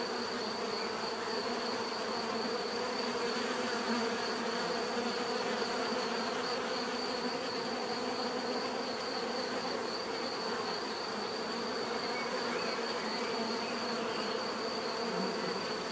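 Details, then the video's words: Bees in a steady, dense swarm hum, a continuous droning buzz with layered low tones and a thin high whine running throughout, no breaks or other animals. "bees therapy relaxing natural buzzing sound"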